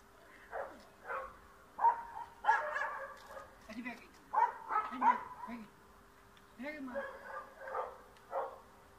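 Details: Dog chasing a cat out of a yard in Bulgaria, giving irregular barks, some doubled, spaced roughly a second apart, with lower voice-like sounds mixed between them and a constant faint hum.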